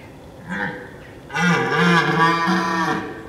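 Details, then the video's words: A red deer stag roars at dawn in autumn in Richmond Park, a deep, drawn-out roar with a rough, droning tone. "Red deers in autumn - Richmond park."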